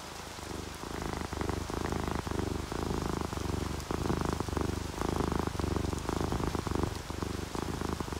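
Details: Sleepy domestic cat purring while relaxed and happy, either an orange tabby or a calico: rhythmic low rumbling bursts alternating with brief pauses, steady throughout, over a constant wash of falling rain and drips.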